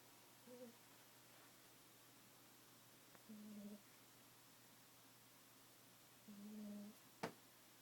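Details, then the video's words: A cat asleep snores loudly with low, humming, whistle-like breaths at irregular intervals, some faint and two clearer, followed by one sharp click near the end. "Cat snoring very loudly"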